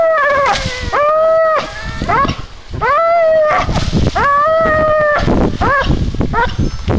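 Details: American Staffordshire Terrier named Vénus voicing sustained, whining howls, each note swelling upward and holding, about six in seven seconds, ending in short choppy yelps, with faint background noise.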